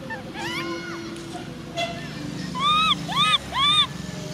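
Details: Baby macaque Cola crying, with sister Lyly angry. Arched, tonal whimpering cries with rich overtones come in a run of three near the end, after softer, faint rising wails and low background hum.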